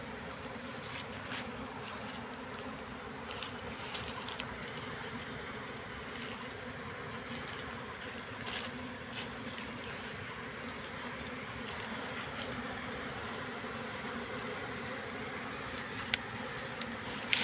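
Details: Honey bee colony being caught into a hive box: a steady mass droning hum under repeated sharp clicks and knocks.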